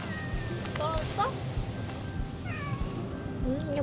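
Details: Cat, one of several household cats living on Jeju, gives short, bent, slightly wavering meows, two or three in a row, while a woman talks softly to it over a low hum and faint music.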